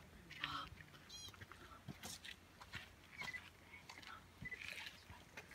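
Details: American pika in Banff National Park gives a few short, high, nasal squeaks scattered over a hissing background.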